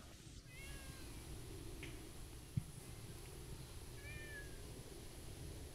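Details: Faint meows from a stray tortoiseshell cat approaching: a short harmonic meow near the start and another drawn-out one later, set against a steady low background rumble and a single sharp knock.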